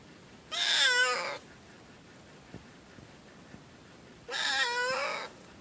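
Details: Pitiful cat meowing, two plaintive, slightly quavering meows nearly a second long each, about three and a half seconds apart, in a quiet room with faint small clicks between.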